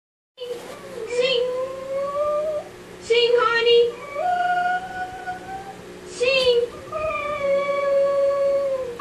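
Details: A Cocker Spaniel puppy "sings" along with a YouTube video of a cocker spaniel: drawn-out, musical howls, each wavering note sliding slowly upward before fading, with short gaps between them and a person's voice faintly heard.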